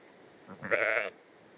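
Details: A Dorper–Katahdin cross hair-sheep lamb gives a single short, nasal bleat, under half a second, off screen on a cold mountain farm in North Carolina, waking her twin sister who is trying to nap.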